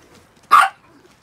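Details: A single short, high-pitched yap from one of six pet Chihuahuas just after their shampoo, sharp and isolated in an otherwise quiet indoor setting.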